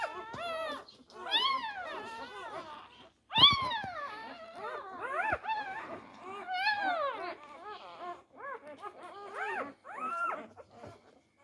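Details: Labrador Retriever pups, four days old, jostling for teats. Rapid arched whines and yelps rise and fall in quick succession, several overlapping at times, with brief pauses between clusters.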